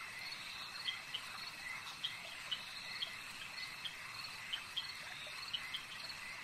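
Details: Frogs at a lake, a dense chorus of short, sharp high notes popping out roughly every half second over a steady, shimmering high-pitched drone, with no other clear sounds.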